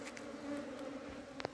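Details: Honey bees at a hive during summer hive cleaning: a steady low droning hum with a faint overtone runs throughout, with light clicks and a sharp tap near the end.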